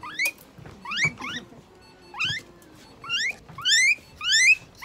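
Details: A pet guinea pig is treated at an animal clinic in Nagoya, Japan, with eye drops, injection, light therapy, moisturizing and brushing. It gives scattered bursts of piercing rising wheeks, some in quick pairs, mixed with handling thuds.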